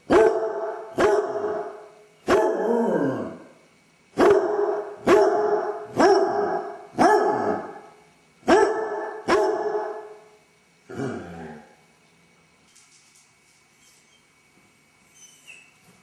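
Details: Dodger, a basset hound left home alone with separation anxiety, pacing the house: a run of nine loud baying barks with falling tails, roughly one per second, then near silence with faint rustling.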